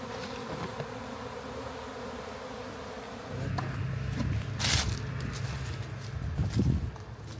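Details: Honey bee swarm captured in a backyard and set into a hive: a steady buzzing hum, joined midway by a deeper rumble and handling thumps that partly cover the bees.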